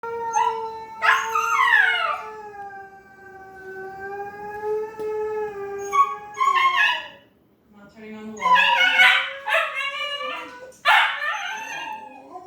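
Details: Siberian Husky learning to howl: a long, steady, slightly falling howl held for about seven seconds with rich overtones, then after a brief pause a run of choppy, wavering yelps and short howl bursts.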